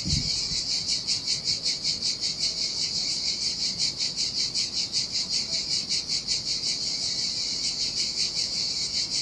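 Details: Cicadas sing in the heat at a lonely beach on Sardinia's turquoise coast. A strident metallic buzz pulses rhythmically, around two and a half surges per second. A short low thump opens the passage.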